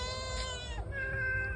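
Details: A fish-greedy pet cat meows insistently as fish is held out to it. One sustained meow slides into a second, slightly higher one, with low room rumble beneath.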